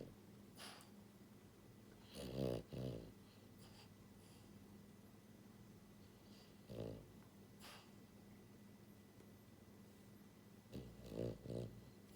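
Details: French Bulldog, a pied female puppy born January 2022, asleep indoors and snoring loudly; rough, rattling snorts in short bursts, one double snore near the start, another single, then a paired snore at the end, steady low hum throughout.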